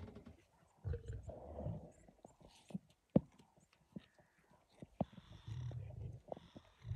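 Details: Five wild lions feeding on a carcass at dawn: low, rumbling growls come in two bouts, early and again past five seconds, separated by sharp clicks and tearing sounds, with faint high chirps in the background.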